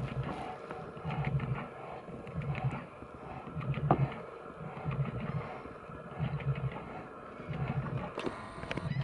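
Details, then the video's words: Brown bears in a fight to the death: deep, rough growling bursts come in a loose rhythm, roughly one every second, with scattered clicks and rustling behind them. "BOZ AYILARIN ÖLÜMÜNE KAVGASI"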